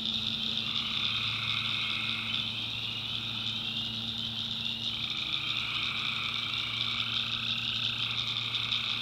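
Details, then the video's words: Tree frogs calling at night in a swamp in the North Carolina backwoods: a dense, unbroken chorus of high, buzzy, pulsing trills in stacked layers, with a low steady droning hum beneath. "Relaxing Swamp Sounds at Night - Frog Heaven - Frogs"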